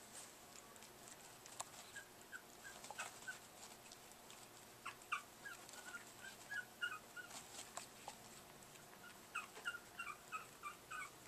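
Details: Chihuahua puppies Baylee, a dark brown female, and Thor, a black male, just past five weeks, tussling indoors on August 16, 2011; quick series of soft high squeaky whimpers and yips, repeated irregularly, with faint rustling throughout.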